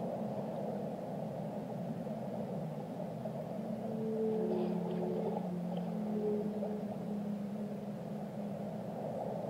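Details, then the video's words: Whale song with low, gently wavering moans and a few short higher whistles rising from the middle, over a heavy continuous underwater roar. "Relaxing Whale Songs - Immerse Yourself in the Melodies of the Deep"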